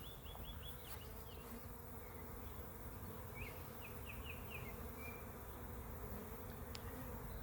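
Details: Swarm of honey bees, some three to four thousand, clustered in a back yard while being shaken into a hive for capture; a steady low droning hum fills the clip, with brief chirping birds overhead.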